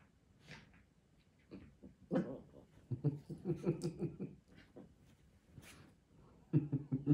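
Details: Chi Chi, a six-month-old female Chihuahua indoors, lets out low, rumbling growls in short clustered bursts with a soft whimper early on. The growling trails off, then returns in a final grumbling burst in a quiet room.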